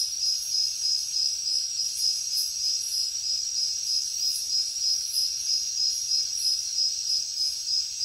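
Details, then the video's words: Insects of a nighttime jungle, led by crickets giving a high, steadily throbbing chirp about three pulses per second, with a hissing higher insect chorus that swells in brief surges. "Insects sounds | Cricket sounds |Jungle night"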